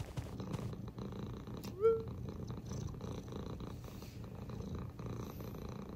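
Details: Male British Shorthair cat named Sobbang, indoors at home, June 2022: a steady low rumbling purr runs throughout, with one brief rising squeak near the middle and faint room noise.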